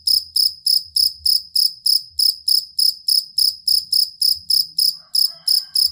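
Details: Jangkrik kalung or fighting cricket, prized as songbird training audio: evenly spaced, shrill pulsed chirps about three per second, with soft low thumps and a brief faint mid-pitched sound near the end.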